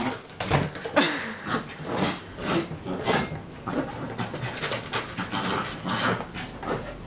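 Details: Rexie, a pet dog, indoors in a small room while fighting his arch-nemesis, a basketball; rapid rhythmic panting and huffing breaths, roughly two per second, with scuffling noises.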